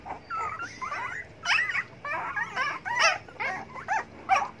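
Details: Hungry dogs begging for food whimper in high, wavering whines that rise and fall, several overlapping tonal cries in quick, irregular bursts with brief pauses between them.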